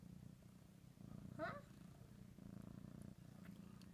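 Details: Pet cat Ricky purring over ham in a small room, a continuous low rumbling purr with rhythmic pulses, broken by a brief higher chirp-like sound early on and a short dip near the end.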